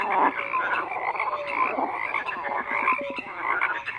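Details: Frogs in full chorus, a steady wall of grating croaks with a few drawn-out tonal notes and quick clicking pulses near the end.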